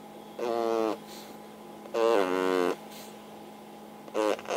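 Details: Snoring pug sleeping under a hanger rack, played at triple speed so each loud snore becomes a brief, nasal, buzzing burst, three bursts about 1.5 to 2 seconds apart, over a steady indoor hum.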